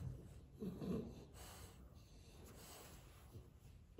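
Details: Quiet indoor French Bulldog: a snuffling snort swells near the first second, then fades into soft, steady, raspy breathing.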